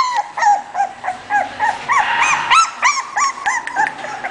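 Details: English Bulldog whimpering in short, high, bent squeals that come quickly and unevenly, several per second, some sliding up sharply before dropping away.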